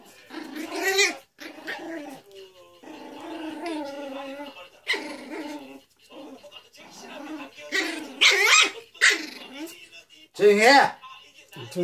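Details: Pomeranian versus poodle: loud snarling growls rise into harsh, yelping barks in irregular bursts, with people's voices mixed throughout.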